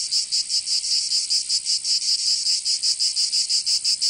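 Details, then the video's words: In summer in Provence, southern France, cicadas produce a high, rasping buzz broken into short, rapid pulses, roughly eleven in four seconds, steady and loud. "Canto Cigarra 🦗 [ Escuchar les cigarras en verano 10 H]"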